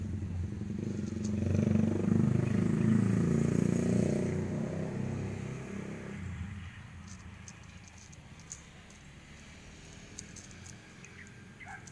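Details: A passing motorcycle's low engine roar swells and fades over outdoor street background with faint clatter, and no animal voice.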